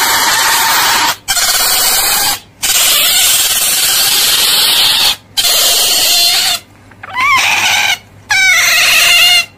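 Otters give shrill, harmonic squeals and chirps in loud bursts broken by brief pauses.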